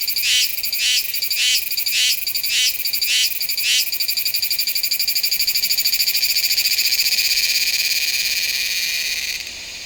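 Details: Meimuna iwasakii cicada singing in September at Nanzhuang, Taiwan, recorded with a Sony A7s3 and Rode VideoMic NTG: six loud pulsed buzzes about every half second, then merging into a long, steady, shrill buzzing drone that ends abruptly.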